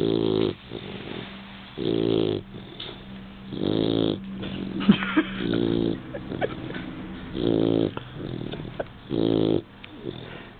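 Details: A newly adopted Labrador Retriever sleeps, giving loud, rattling, layered snores with each breath, about every one and a half to two seconds, separated by softer wheezy inhalations and occasional faint clicks.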